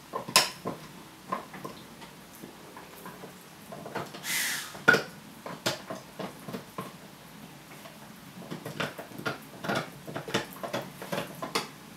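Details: Indoor clinks and clatters of dishes and cutlery with scattered knocks and rustles, no animal voice.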